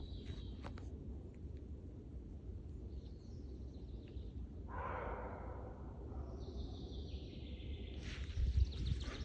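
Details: A roe deer that approached a forest camp, where heavy rain had fallen that day, gives a single harsh, hoarse bark over steady low rumbling background noise.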